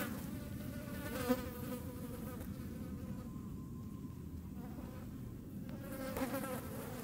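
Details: A hornet chasing flies in the Eifel makes a steady, droning wing buzz, with the higher whine of the flies mixed in.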